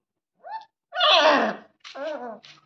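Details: A German Shepherd puppy's first bark: a short yip, then a hoarse, breathy bark and a squeaky, wavering follow-up.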